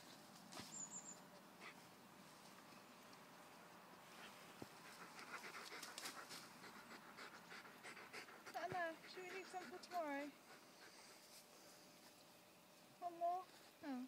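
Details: Tala, a Tamaskan dog, picking and eating blackberries: soft background rustling, then several brief, high, wavering whines in short bursts, each rising and falling in pitch, with quiet human talk nearby.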